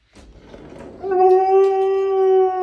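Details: Siberian Husky giving a long, steady howl that builds from a grumbly, voice-like onset into a clear sustained tone with strong harmonics, held for over a second and a half, music faint behind.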